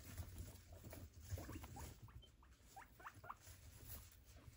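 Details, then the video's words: Guinea pigs from a foster home eating their Sunday brunch indoors: soft low crunching and pattering, with a few short, faint high squeaks toward the end. "Sonntagsbrunch mit unseren Meerschweinchen"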